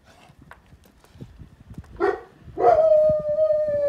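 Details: Cane Corso dog alert after picking up a sound: a short rough bark-like burst, then a long steady howl held at one pitch with a slight fall, over quiet background rustle.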